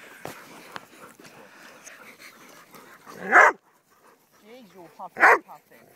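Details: Dogs named Dixie, Honey, Oliver, Jumbo, Annie and Bear on a walk; two loud, sharp barks about two seconds apart, with soft whining between them and a person talking in the background.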